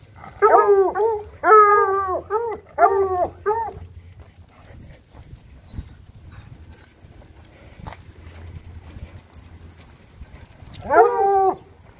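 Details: Bluetick Coonhounds out on a walk through town give a run of bawling howls, each note short, full and bell-like with a slight downward bend. After a quiet stretch with only a low rumble, one more burst of howls closes the sequence.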